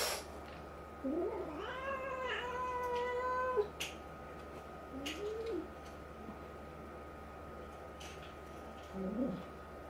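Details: Domestic cats indoors: a five-to-six-month-old tabby resident cat meeting a two-month-old black kitten during fights. A drawn-out, harmonic-rich yowling meow holds steady for about two seconds, followed by two short rising-falling mews, with a steady electrical hum beneath.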